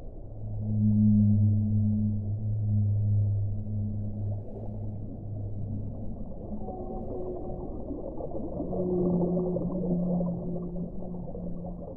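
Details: Whale song with deep sustained moans held for several seconds, breaking off and resuming, then shifting to a higher level, smooth tonal note, backed by a constant muffled low rumble of water.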